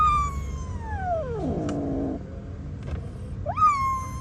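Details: Stray kitten, left abandoned for two days in the snow at -11°C before rescue, cries a long falling meow that drops into a low wavering tone, then a short rising-then-falling mew after a pause, over faint background rumble.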